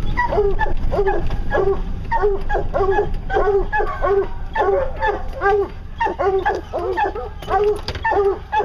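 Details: Hounds baying on a bear hunt, a fast run of short harmonic barks and bawls repeated several times a second, several voices overlapping, over low rumbling background noise.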